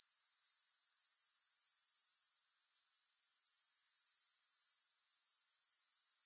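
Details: A sharp, high-pitched rapid pulsing from grasshoppers, pausing for about a second midway before fading back up into the same steady rhythm, with no music.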